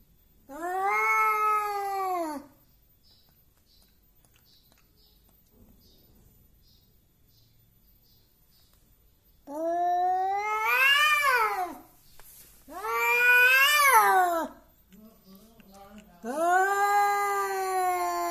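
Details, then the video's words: Domestic cat, described as angry and always wanting to fight, acting brave and intimidating: drawn-out harmonic yowls, rising and falling, in four bursts of one to two seconds separated by quiet gaps. "KUCING PEMARAH. Suaranya Aneh."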